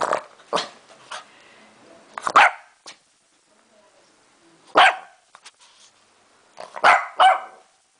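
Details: A female Lhasa Apso barks at the camera: sharp, bright barks, singly or in quick pairs, with pauses between.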